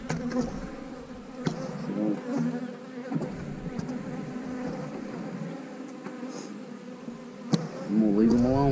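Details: Honey bees at an eight-frame hive: a steady, low droning hum holds throughout, with faint knocks and brief human speech in the background, and a louder voice near the end.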